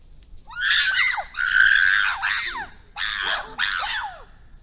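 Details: Wild chimpanzees in the Issa Valley, Tanzania, intimidating wild dogs: loud, harsh, harmonic screams in five bursts of about half a second to a second each, some rising then sharply falling, with short silent gaps between.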